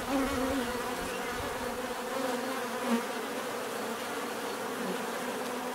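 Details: Bees give a constant droning buzz, several overlapping hums with a brief louder pass near three seconds, steady and unbroken.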